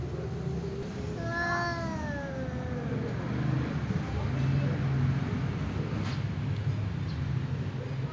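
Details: Ginger tom cat calling out to a white female cat it likes: a single drawn-out wavering meow near the start, followed by several seconds of low rumbling background noise and faint sounds.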